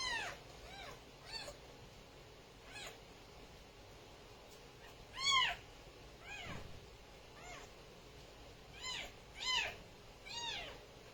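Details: Kittens meowing: high, arched mews with bright harmonic stacks, about nine spaced unevenly across the stretch, loudest near the middle and toward the end, over a steady faint background hiss.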